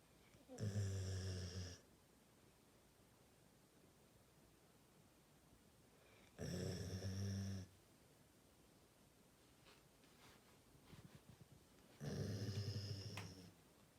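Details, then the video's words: Labrador Retriever snoring indoors: three loud, low rumbling snores, each over a second long, come roughly every six seconds, with a softer breathy rasp between the second and third. Quiet room hiss fills the gaps. "리트리버 코골이"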